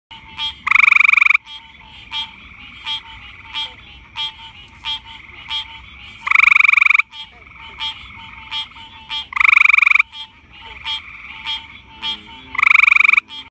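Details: A northern gray treefrog (Hyla versicolor) gives loud, musical trills lasting under a second, repeated every few seconds.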